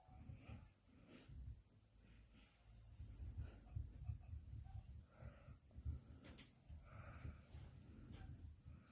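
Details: Sleeping puppy named Kkandori, described as a sleepyhead, snoring indoors: low, rumbling breaths with a steady in-and-out rhythm, each snore a soft throaty wheeze, in a quiet small room.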